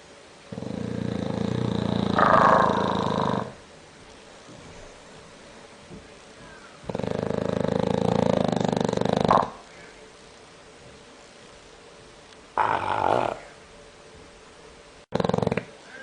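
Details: Sleeping bulldog with a frightening snore: loud, harsh, rasping snores lasting about three seconds each, separated by quiet gaps, followed by shorter snorting bursts.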